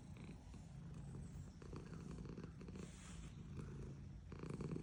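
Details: Female domestic cat purring while being petted: a steady, low rumbling hum with soft pulsing throughout, plus faint rustling of hands stroking fur.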